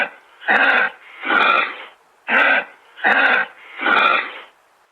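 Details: Five hoarse, wheezy exhalations from a kangaroo, paired short-then-long, each a harsh rasping burst separated by brief silences.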